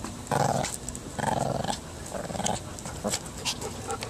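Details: Six-month-old Shih Tzu pup Maggie growls while playing tug: three throaty, rumbling growl bursts come about once a second early on, followed by quieter snorts, rustling and tugging noises.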